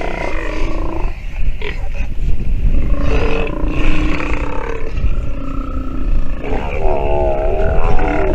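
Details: Sea lion pup vocalizing during nursing with several raspy bleats, ending in a clear, quavering, harmonic wail, all over persistent low-frequency rumbling.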